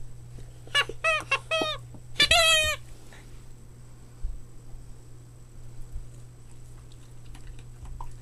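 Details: Boston Terrier puppies at play squeal in two quick bursts of high, bending yelps within the first three seconds, then fall quiet apart from faint taps and a steady electrical hum.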